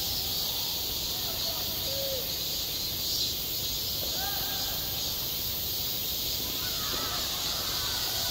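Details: Cicadas calling on a midsummer school playground, their steady high whining drone filling the air, with a few faint human voices audible in the distance.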